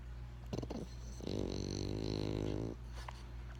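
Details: Benjamin, a pet French Bulldog, snores once indoors: a buzzy, rattling inhale of about one and a half seconds with dense low harmonics, framed by brief soft clicks and breathy noise.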